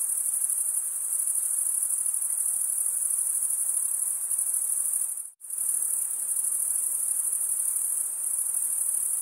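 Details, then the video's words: Steady high trill of stridulating male crickets, wing rubbed against the serrated vein of the other wing, broken once by a brief silent gap before resuming unchanged. "Most relaxing cricket sound for 8 hours"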